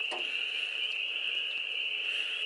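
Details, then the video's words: On a homestead farm pond in spring, April 25, 2022, mating frogs keep up a continuous shrill trill, many voices merging into one unbroken high drone, with a brief lower knock near the start. "Frogs Song"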